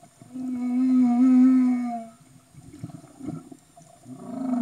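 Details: Underwater humpback whale in Tonga, 2015: a long, steady, horn-like moan lasting about two seconds with stacked harmonics, then soft knocks and crackles before a new tonal call rises at the end.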